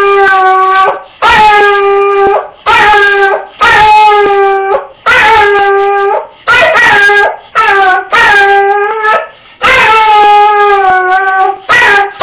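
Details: Roscoe, a dog wearing an argyle sweater, crying after his owner leaves for work: loud drawn-out harmonic howls, each lasting about a second, repeated in a steady series with short gaps between them.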